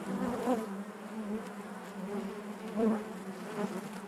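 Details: Short stretch of honey bee hive buzzing: an unbroken low hum with rich harmonics, two louder bee passes standing out near the half-second and just before three seconds.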